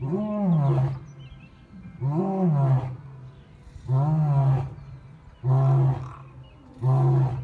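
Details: Big male lion in love, popular with lionesses, at Taigan: deep moaning roars with strong low harmonics, about five calls spaced roughly every one and a half seconds, each rising then falling.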